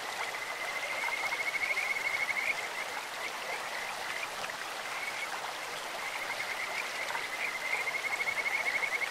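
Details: Kajika frogs in a stream produce high, bird-like trilling phrases, one early and another toward the end, partly masked by a continuous wash of flowing water.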